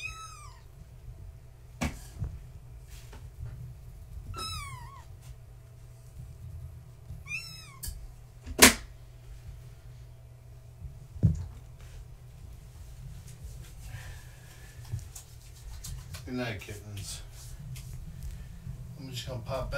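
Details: Kittens of Gaia, a fluffy tabby, born 14 March 2017, playing at bedtime behind a fence they try to climb: high, downward-sweeping meows repeat every two to three seconds, broken by sharp knocks and thumps, with steady low hum.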